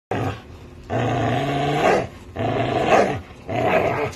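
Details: American Bully and Pit Bull playing tug with a toy, growling in long rough low bursts of about one second, three to four bouts separated by short pauses.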